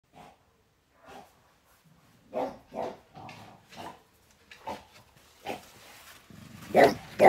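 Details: French Bulldog on guard, giving a string of short barks and huffs, quiet at first then louder, roughly two a second near the end, with a low rumbling growl between them.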